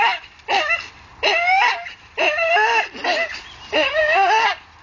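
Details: A Staffordshire Bull Terrier dangling from a tree, worked up and gripping on, gives strained, nasal whines that bend up and down in pitch, five drawn-out bursts over nearly five seconds.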